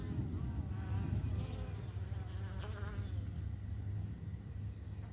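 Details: Forager Italian honey bees returning to their homestead hive in the morning with yellow, orange or red pollen on their rear legs; a loud, continuous low hum with fluttering wingbeat harmonics from bees passing near.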